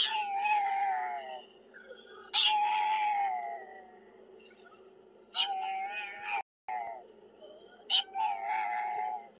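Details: Puppy barking on a road: four bursts of high, harmonic yelps near 0–1.5, 2.3–3.7, 5.3–6.4 and 7.9–9.4 seconds, with a steady low hum underneath.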